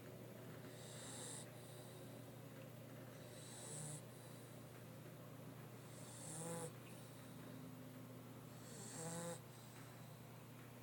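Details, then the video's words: Mastiff named Cash snoring in his sleep: a rough, rattling snore about every two and a half to three seconds, each a noisy rasp with a short throaty flutter, over a constant low hum. "Snoring Mastiff Cash"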